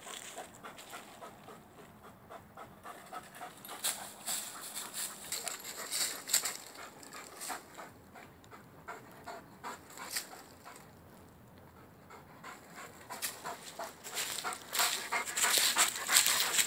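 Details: Axel, a male Rhodesian Ridgeback, climbs a tree chasing a squirrel he wants to play with; fast airy panting about three breaths per second, rising in loudness near the end, faint rustling in between.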